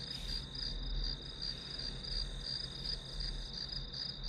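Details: Grass insects trilling steadily, a bright high pulsing chirr with slight swells in loudness, accompanied by a constant low hum, recorded as a calming backdrop for studying.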